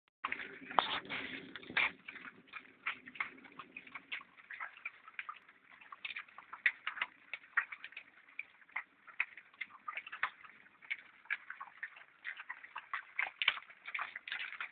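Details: Wild boar being fed acorns collected by schoolchildren in Hagen-Hohenlimburg chew and smack loudly with relish, a steady run of wet clicks and crunches.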